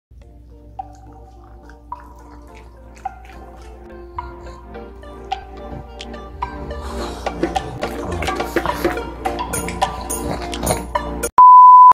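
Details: Gentle music with dripping, splashing water sounds builds up, then ends in a sustained electronic tone; no animal is heard.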